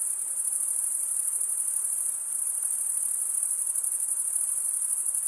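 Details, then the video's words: Male crickets stridulating produce a seamless, piercing high trill, fast pulses blurred into one ringing tone, holding level throughout with no background voices or other animals. "Most relaxing cricket sound for 8 hours"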